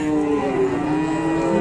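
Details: Fierce cow raising a racket, giving a steady, low, sustained moo across the short stretch, with faint background noise.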